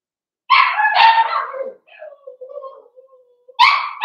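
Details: Five blenheim Cavalier King Charles Spaniel puppies born at New Year's, in their home pen on pick-up day: two loud barks sliding into a long falling whine, then a fresh bark at the end.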